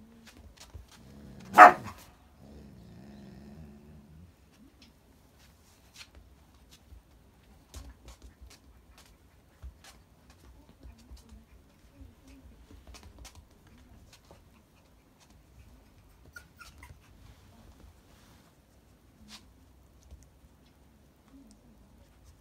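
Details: Jun, an Akita, scolds another dog when angry: one sudden sharp bark, then about two seconds of low rumbling growl, followed by a long near-silent stretch with faint rustles and small taps indoors.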